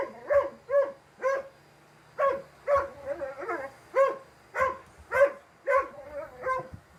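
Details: Four-year-old male Dalmatian barking at a vacuum cleaner in quick, gruff bursts, about two per second, over a faint mechanical hum; finding: Dalmatian.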